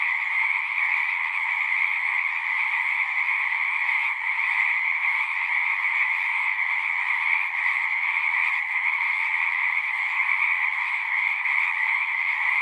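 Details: At a horse-pasture pond, a crowd of frogs keeps up a continuous high-pitched trilling chorus, recorded with a Zoom device; the sound stays dense and constant, with slight flickers in intensity but no gaps.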